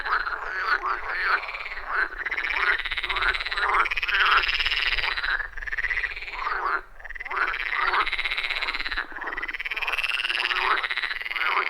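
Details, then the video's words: Frogs in full chorus at a wild forest pond, iPhone 14 Pro with Shure MV88+: loud, rhythmic rasping croaks layered continuously, pulsing in waves with only short dips. "Frog Sounds at a Forest Pond"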